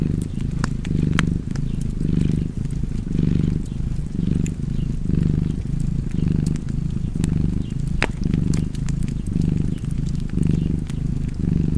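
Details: Cat purring beside a crackling fireplace: a steady low rumble that swells and fades with each breath about once a second, while sharp pops and crackles of burning wood sound over it.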